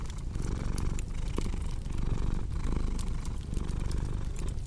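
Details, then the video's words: Cat purring in a warm fireplace ambience for sleep and relaxation: a thick low rumble pulsing with each breath, accompanied by light, scattered crackles of burning wood. "Purring Cat with Cozy Crackling Fireplace Sound"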